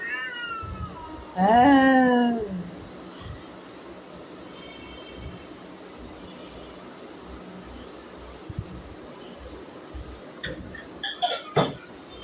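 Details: A pregnant cat indoors gives one loud, drawn-out meow with stacked harmonics sliding downward, then quiet room hiss, faint voices and a few sharp clicks and knocks near the end.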